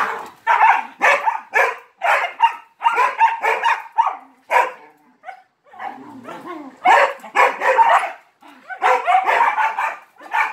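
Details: Barking for attention during play with three Malinois: dense runs of harsh barks, a short lull with softer grumbling noises, then more rapid barking in clusters.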